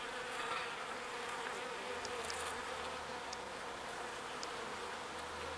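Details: Pollen-foraging bees returning to the hive, heard as an even, steady hum; a low, deeper buzz from one close bee swells in during the second half, over faint high ticks.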